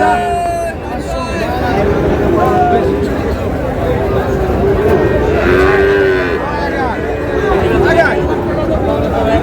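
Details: Sahiwal cattle lowing at a Rajbari cattle market, with short moos early on and a stronger, arching bellow around the sixth second, surrounded by market voices and background hubbub.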